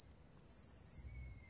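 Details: Grass insects heard as a steady, high, shrill ringing tone, with four brief brighter pulses even higher in the middle of the short stretch; faint low rumble underneath.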